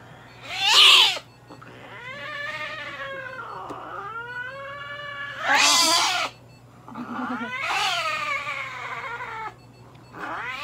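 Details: Kone-chan, a Norwegian Forest cat, calls out while being treated at a veterinary clinic in Nagoya. Treatment includes light therapy, nail trimming, paw-pad hair clipping and anal gland expression. Loud drawn-out yowling meows rise and fall, with pauses between cries.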